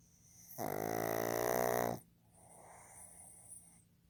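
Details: Fukuzou, a male pug born 15 July 2020, snoring while asleep: one loud, rasping, buzzy intake of breath lasting about a second and a half, then a much quieter, breathy exhale.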